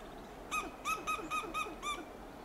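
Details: Six loud, evenly spaced barking clucks, each a short, harsh, slightly arched note about every third of a second, from a western gray squirrel sounding alarm on a coast live oak in Del Monte Forest, California.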